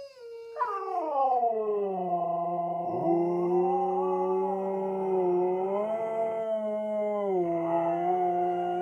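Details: Two Siberian Huskies kept as pets howl in a deep, baritone duet, one wearing a surgical cone; after a sharp rising onset, two long overlapping voices waver gently and hold for several seconds.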